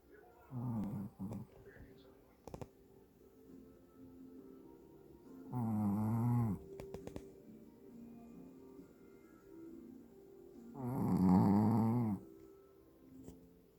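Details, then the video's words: A very tired Shih Tzu snores with its eyes open. Three loud, rasping, low snores come about every five seconds, with quiet gaps between them. Soft steady background tones like faint music run underneath. "많이 피곤했구나. 코골이가 심하당ㅋ"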